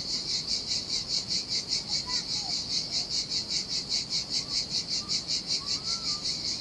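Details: Cicadas singing in the heat beside a deserted beach on the Sardinia sea: a loud, high buzzing chorus pulsing about two and a half times per second, with faint soft bird whistles and a low wash of surf beneath.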